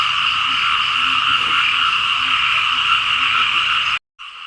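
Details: Frogs in Laos fill the fields with sound during rain. A steady, pulsing trill runs about four seconds, then breaks off in a brief silence before the chorus resumes more quietly.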